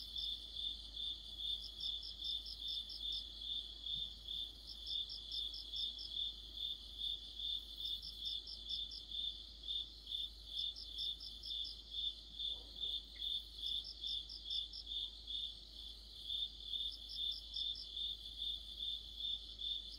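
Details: Crickets and other insects chorusing in deep autumn: a steady, rapid, high chirping pulse runs throughout, while a second insect adds brief, buzzy, grouped trills slightly higher every two to three seconds; faint low background hum.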